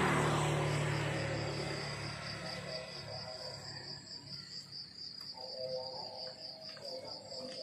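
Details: Crickets chirping in the countryside in the morning: a steady, high, pulsing chirp repeated almost four times a second, while the low rumble of a passing vehicle fades out at the start.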